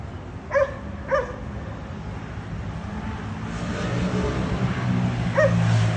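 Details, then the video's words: Dogs at a condominium whose barking disturbs neighbours three times daily: two quick barks close together, a pause, then one more bark, while a passing vehicle's low rumble swells in the background. "Disturbing noise by Dogs barking"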